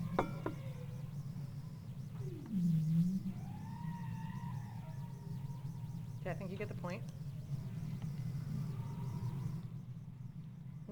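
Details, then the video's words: Bowhead whale song with fuzziness behind it from higher ambient noise: a low swooping groan, then arching tonal wails and a few sharp broadband knocks, against a steady low hiss and rumble. "one you can hear a little bit of fuzziness behind it that's because ambient noise levels are a little bit higher"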